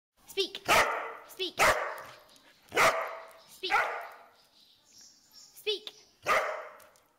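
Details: Dog barking on command, trained to bark when told to speak; six loud sharp barks at irregular intervals, each followed by a person's voice repeatedly urging it to speak.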